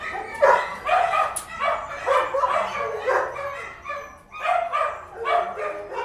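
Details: Indoor dog barking, a near-continuous run of loud, rough barks about twice a second, overlapping at times, with a steady low hum in the room.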